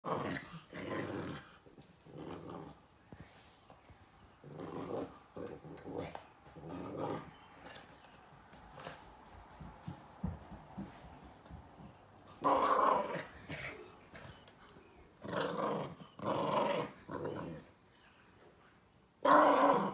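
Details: Joey, a small chihuahua and silky-haired terrier mix, growls at his owl stuffed toy on the carpet while playing; rough growls in bursts with pauses, a louder run after twelve seconds and a last burst at the end.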